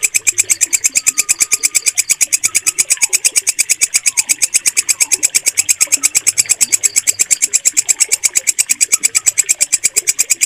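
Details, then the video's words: Walang kecek katydid, a stable, shrill voice used to train pet birds. Dense, metallic rasping pulses repeat without a break throughout, over soft scattered chirps in the background. "MASTERAN WALANG KECEK SUARA JERNIH"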